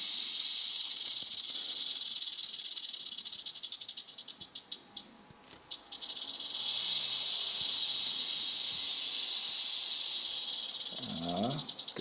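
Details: Western diamondback rattlesnakes, described as agitated and dangerous beauties, rattling: a loud sustained buzz that dips and breaks into clicks midway, then resumes strongly; faint voices and a short rising sound near the end.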